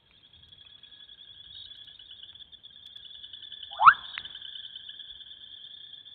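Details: Bubbling kassina frogs calling during heavy rain at Kambaku Wildlife Reserve, Namibia; a single quick, rising bubbling note sweeps upward midway, set against a steady high continuous trill.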